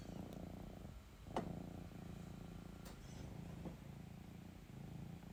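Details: Purring female house cat seeking affection and cuddles, a continuous low throaty rumble with soft regular pulsing, interrupted briefly by a sharp tap and light rustling.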